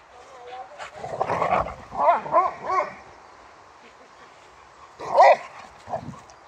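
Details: Male Boxer dog from Sweden quarrelling with another dog over a toy and asserting that he is the alpha; rapid yappy grumbles and barks in clusters, a pause, then one sharp loud bark and a softer follow-up.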